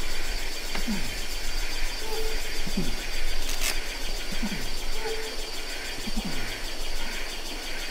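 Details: Adult male orangutan in Ketambe Forest, Gunung Leuser National Park, giving four low, descending moaning pulses about every one and a half seconds, with a dense insect drone and faint short whistles in the background.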